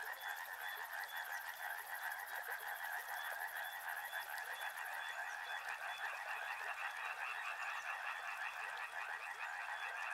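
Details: Frogs by a river in a dense, continuous croaking chorus of rapid pulsed notes overlapping without pause, a thin steady whine above and a fine high buzzing in the first half.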